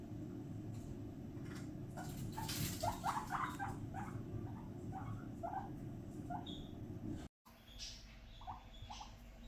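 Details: Happy pet guinea pig Fiddy during floor time, chutting in a fast series of short squeaky pulses, several per second, with rustling and low room noise and a brief dropout near the end.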